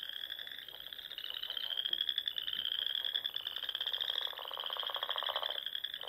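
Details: Frogs singing at dusk in spring around the ponds of the Nebraska Sandhills: a continuous high, slightly rising trill with a rapid pulsed croak swelling loudly near the end.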